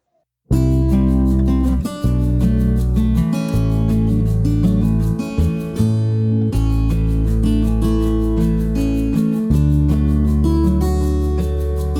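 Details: Strummed acoustic guitar music plays steadily throughout, with no animal sound present.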